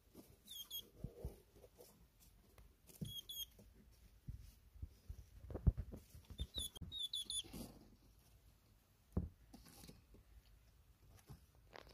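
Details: Male pet hedgehog Dochi smelling his mate Choco's scent in a small room: brief high-pitched squeaks recur in several short bursts over low rustling, shuffling and faint tapping sounds.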